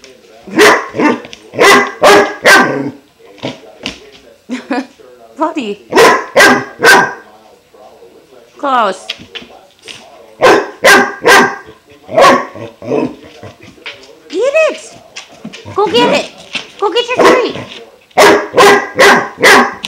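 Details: Barking for minutes before chewing his new water buffalo horn, Klaus, a 5-month-old German Shepherd puppy, gives repeated loud barks in rapid runs of three or four, mixed with yelping whines, as a woman urges him on.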